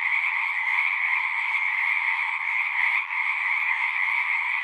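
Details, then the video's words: Pond frogs in a horse pasture, recorded with a Zoom 6, keep up a thick wall of high trilling calls; the chorus dips briefly near the middle, then swells back to full strength. "Frogs singing"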